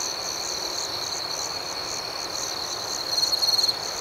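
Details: Nighttime crickets chirping gently: a continuous high ringing chorus, then a closer insect joins with a rapid pulsed trill for about half a second before the background hum resumes.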